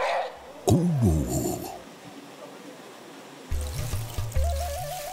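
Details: Short musical phrases and a brief burst of pouring, splashing water are heard, with no animal calls.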